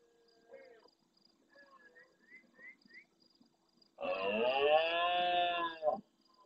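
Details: A sizeable red deer stag roars at the start of night by the Doñana marsh, El Rocío, Huelva, Spain, answering more distant stags. Faint upslurred chirps come first, then one loud, guttural, two-second bellow.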